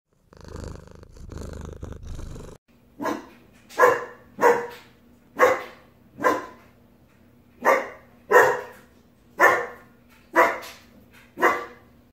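A German Shepherd puppy barks in a quick run of short, sharp yaps, roughly one each second.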